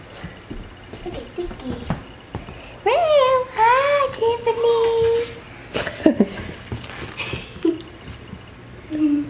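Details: Young kittens from a litter of five born to the family's mother cat, indoors: a run of high, harmonic mews, first falling then rising, ending in a long steady drawn-out cry, with people talking before and after.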